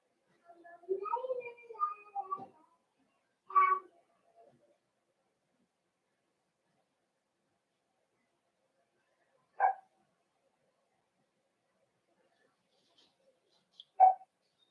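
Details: Cavalier King Charles Spaniel puppies in a home puppy pen on 12/13/22, meeting several bigger household dogs for socialization; after a stretch of human talk, three sharp single barks ring out several seconds apart in an otherwise quiet room.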